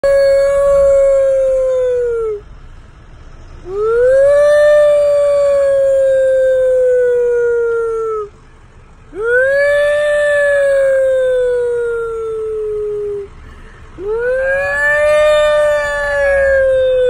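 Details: A wolf howling in a car alongside its owner gives four drawn-out howls, each several seconds long, swooping up then holding a steady tone that gently falls away, with short pauses between them over a faint engine hum.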